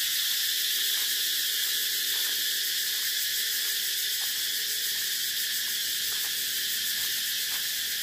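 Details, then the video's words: Shrill cicada song runs without a break, a flat, piercing electric buzz at a constant level, with faint soft taps at irregular intervals beneath. "Tiếng Ve Sầu kêu hay nhất"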